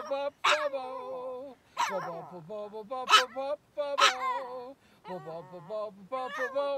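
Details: A Chihuahua howls along while an elderly man sings: drawn-out, wavering tones sit above the man's deeper sustained voice, broken by short gaps and several sharp, bright yelps.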